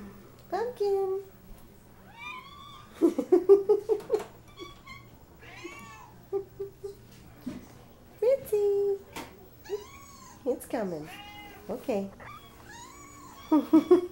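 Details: Indoor chorus of pet cats, named The Gray, Snow Leopard and Banshee, in a small room. A dense run of about a dozen meows, some drawn-out and wavering, some short and arched, overlap closely, with brief human speech between them.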